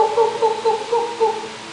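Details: Male Central Formosa toad (Bankor toad) giving a release call when clasped by another male, signalling that he is also male; a low, buzzy pulsed trill of short notes repeated about every quarter second, with a faint hum behind.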